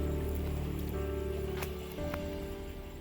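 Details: Steady low music with faint rustling, and no animal voices.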